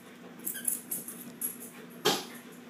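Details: Shih Tzu dogs wrestling indoors: short thin squeaks and soft whimpering yelps over scuffling, ending in one louder sharp burst of movement noise.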